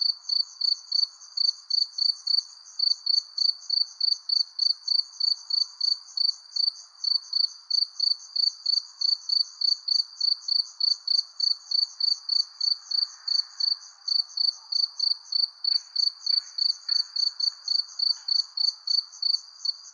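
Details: Under a persimmon tree at sunset, a cricket chirps tirelessly in rapid high pulses, a little over three each second, with a few faint short ticks late on and a gentle low background wash.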